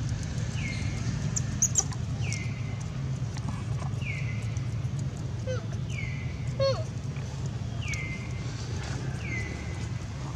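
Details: Baby monkey taken by another monkey, crying loudly and calling its mother for help: a series of six thin, high, descending whimpers, about one every one and a half seconds, over steady low rumbling background noise and a few clicks.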